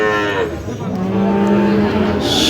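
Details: Sahiwal bull calf at a cattle market in Tangail, Bangladesh, 30 December 2025, bought by a farmer; a loud, low, steady moo held for over a second, with nearby voices and market bustle around it.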